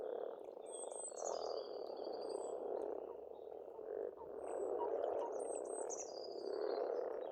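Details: Spring frog chorus at a farmstead pond in Estonia: a dense, continuous mass of rapid croaking with pulses rising and falling, while birds sing high whistled, sliding phrases above it.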